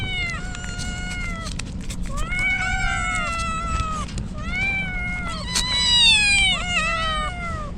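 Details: Stray kittens soaked in rain as a typhoon approaches in Japan, crying out: overlapping high harmonic meows from several kittens, some rising then falling, nearly continuous, over steady rain hiss and low rumble.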